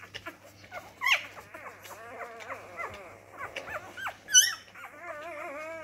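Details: Labrador retriever puppy discovering its voice. Overlapping squeaky whimpers and quick yips bend up and down in pitch, ending in a long wavering whine, with faint rustling and a low steady hum.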